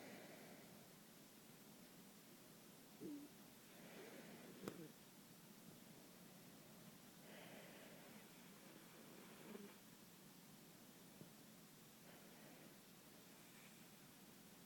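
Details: Sleeping puppy snoring indoors: soft, breathy snores recurring every three to four seconds over a steady background hiss, with a faint click in between.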